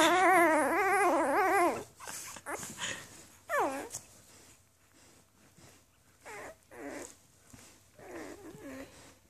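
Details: Newborn Afghan Hound pups, litter dated May 23, 2014, in a small room: one strong warbling cry opens, followed by fainter scattered short whimpers and soft rustling.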